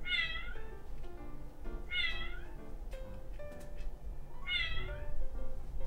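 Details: Male Scottish Fold Ramune, born 28 December 2019, meows during a test of cat-translation apps: three bright, downward-sliding meows about two seconds apart over steady background music.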